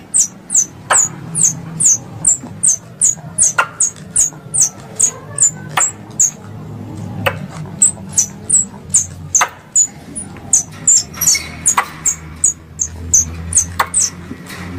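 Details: Squirrel calls used by hunters as a lure: a long, steady stream of high, slurred chirps at about two and a half per second, with scattered sharp clicks and a low humming background.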